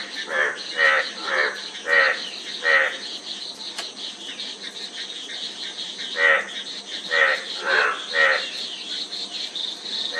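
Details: A frog gives a burst of quick, raspy croaks, falls quiet for about three seconds, then resumes. A softer chorus of higher, fainter calls and a steady hiss continue in the background.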